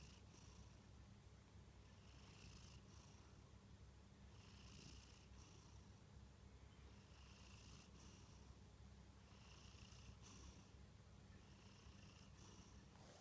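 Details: Kantarou the Munchkin cat sleeps and snores steadily, a long run of gentle rasping breaths repeating every two seconds or so, each a soft hiss, under a constant low hum.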